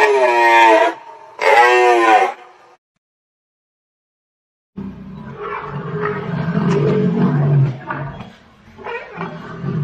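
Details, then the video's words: Large animals, from a set of forest and zoo sounds featuring bulls, gorillas, rhinos and lions: two wavering tonal bellows of about a second each, then a silent gap, then five seconds of rough, low, rumbling roaring with grunts. "the big sound of large animals such as bulls, gorillas, rhinos, lions"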